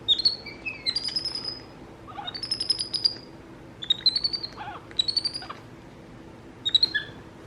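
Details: Capuchin monkeys MonkeyBoo and baby brother MonkeyHappy, household pets, calling back and forth: loud, piercing, slightly rising squeaky chirps in rapid trains of three to six, separated by short pauses.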